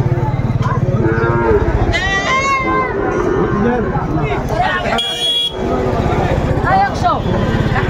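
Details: Sahiwal bull calf at a cattle market in Narsingdi, Bangladesh, on 24 January 2025; deep drawn-out lowing over a dense crowd of talking people and market noise, with a mechanical buzz near the fifth second.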